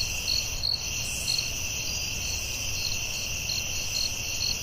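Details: Crickets at night in a forest, a steady high shrill drone overlaid with brighter chirps repeating about twice per second, over a low background rumble.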